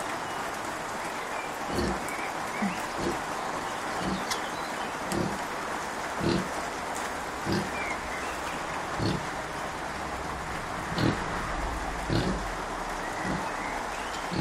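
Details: Kunekune sow Bella, a little grumpy and unwell, with her five-day-old piglets: short low grunts recur about every second, set against a steady hiss like rain with faint chirps above.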